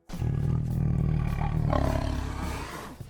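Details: Tiger roar played as a quiz answer: a deep, rough, rumbling roar held for about three seconds, loud and low-pitched throughout.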